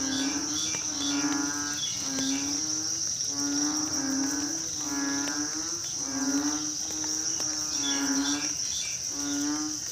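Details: Night chorus of frogs after rain, rhythmic low droning croaks pulsing roughly every second, with a continuous shrill insect trill above and faint music in the background.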